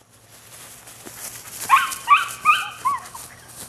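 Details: Male puppy, nine weeks old, from a Rodin and Katana litter, giving a run of four high, bright yips about every half second, each with a rising then falling tone, over a low steady hum.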